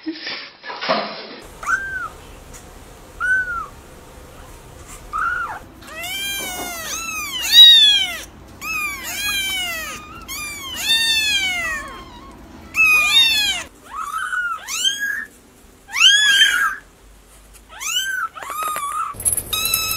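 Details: Kitten for ASMR, crying in rapid bursts: short arched meows at first, then dense runs of high, repeated squeaky mews over several seconds, breaking into separate insistent calls with quiet gaps between.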